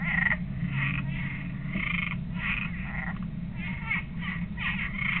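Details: A frog inside a backyard owl house in North Port, Florida, gives loud, raspy croaks in uneven bursts, several each second, over a steady low background hum.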